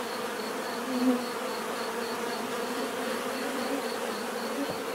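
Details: Bees giving a natural buzzing sound meant for relaxation: a thick, constant hum with a single insect briefly louder around the one-second mark before fading back into the swarm.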